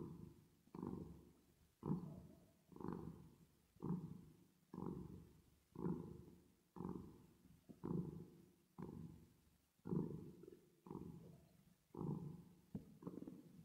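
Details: Resting, sleeping cat purring, processed with a reverb effect. A steady throaty rumble rises and falls with each breath, roughly fourteen even cycles, each pulse starting sharply and tapering off.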